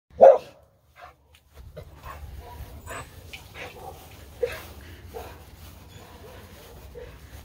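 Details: Dog giving one loud, short bark at the start, followed by several seconds of quiet with faint scattered sounds and a low steady hum in the background.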